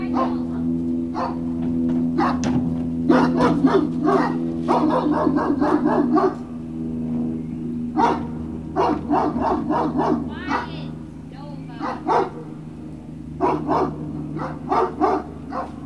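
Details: Great Dane puppies at Puppy Hill on the evening of 19 February 2019, around 19:45, letting out a busy run of short sharp yips and barks in quick irregular bursts, with several pups overlapping over a low steady hum.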